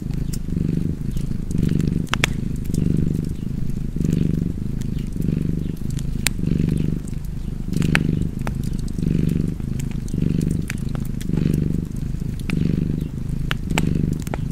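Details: Domestic cat purring steadily in a low, rumbling drone that swells and fades in even breaths, about one cycle per second, over sharp pops and snaps of a crackling fireplace.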